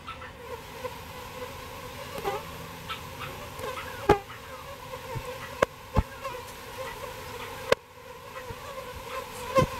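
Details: Steady droning hum of bees during their rescue from a birdhouse into a bee box, punctuated every few seconds by sharp knocks and clatter from handling.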